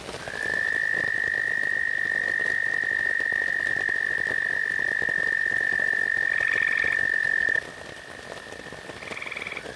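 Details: American toads singing loudly at a pond edge during a heavy downpour while males fight over a rock: one long, steady, high musical trill holds for about seven seconds, then shorter overlapping trills from other toads follow over constant rain noise.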